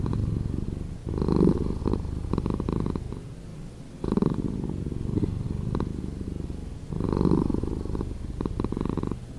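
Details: Slowed cat purr, a soft deep rumble rising and falling with each breath, louder pulses near the start, middle and end of the stretch.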